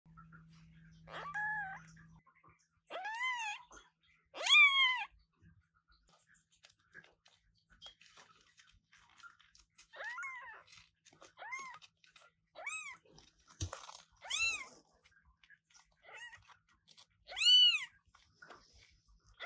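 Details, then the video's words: Newborn British Shorthair kitten meowing loudly indoors, born to parents Coffee and Milk: a series of high, thin arching mews, some strong and some faint, spaced one to two seconds apart. "New kittens meowing very loudly!!!"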